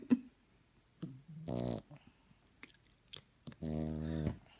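A French Bulldog puppy snores in two long, rasping, low rumbling breaths separated by quieter gaps.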